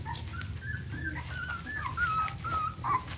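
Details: Newborn Phu Quoc Ridgeback puppies being cared for by their mother after birth: thin, high, squeaky whimpers. The short notes glide and waver, growing more frequent toward the end, over a steady low hum.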